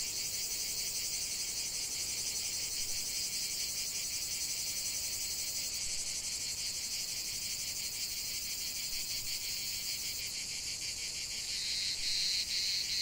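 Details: Cicadas singing in nature: a dense, high, hissing chorus throbbing in steady pulses roughly three times a second, continuous throughout, with a brighter extra buzz joining near the end.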